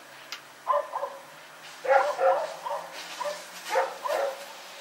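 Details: Dog named Rex barking at night while running around, 21 September 2018: a few softer, more distant-sounding barks in short pairs, with a faint low hum underneath.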